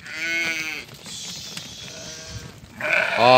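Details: Bleating from a flock of 50 ewes with their 25 female and 25 male lambs, offered for sale in Doukkala; one clear, wavering bleat opens, a quieter one follows, and a louder bleat ends it.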